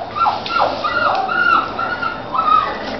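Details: Labrador and sheepdog cross puppy crying at the house door, a series of high whimpers sliding down and rising, about six cries over three seconds, with faint background noise.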